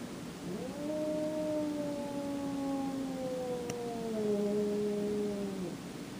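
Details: Domestic cat named Jack, not tolerating another cat named Boots in his favorite room, gives a long drawn-out yowl lasting about five seconds, slowly falling in pitch with rich harmonics, a lower second voice overlapping near the end.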